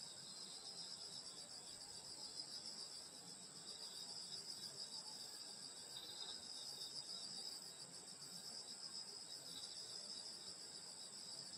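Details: Countryside insects on a summer night, a constant shimmering chorus of high trills with a slight rhythmic pulsing, steady in loudness from start to finish.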